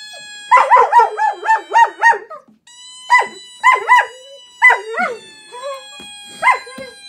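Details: German Shepherd reacting to a squeaky toy sound from an iPhone, giving rapid wobbling howl pulses in several bursts with falling tails, over a constant high electronic tone.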